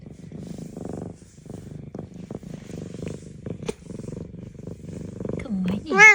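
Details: A small female F2 Savannah cat gives a contented purr, a low, throbbing rumble pulsing evenly on each breath, with a brief higher voice at the very end.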